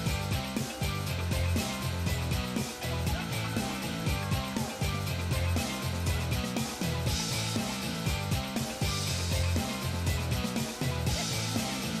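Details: Loud, dense music with a driving beat fills the whole recording, with a brief trace of speech; no animal sounds.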